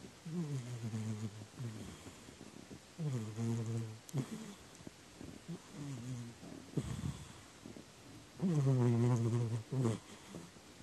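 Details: Domestic cat snoring, recorded 4 January 2019 on a day when crows and cats were given salmon sticks. Low, rumbling harmonic snores come in irregular bursts of about one second, some grating and buzzy, with quiet breathy pauses between and one louder snore near the end.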